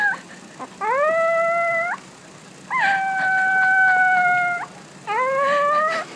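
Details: Puppy practising its howl: three clear howls, each starting with a quick upward scoop and then holding a steady tone for one to two seconds, over faint background hiss.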